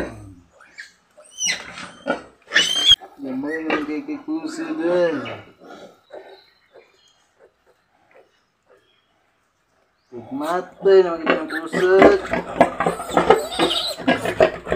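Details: Pigs during a sow's farrowing of ten piglets on a backyard pig farm: wavering, whiny squeals and a few sharp high cries, a long quiet gap, then renewed overlapping squealing mixed with voices.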